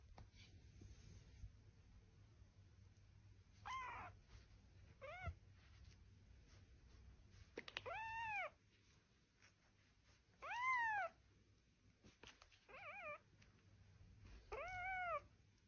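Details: Pet cat meowing indoors: five or six drawn-out, arching meows spaced a few seconds apart, some rising then falling, over a low steady hum and faint background noise.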